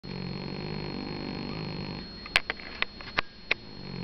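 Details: Sleeping domestic cat snoring indoors: a low, rough, rumbling breath for about two seconds, a pause filled with soft clicks and snuffles, then the snore resumes.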